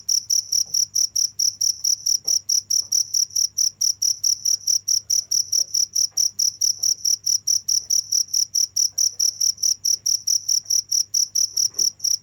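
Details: A cricket chirps on and on in a long, unbroken series of bright, high, evenly spaced pulses, about two or three per second, over a faint steady low hum.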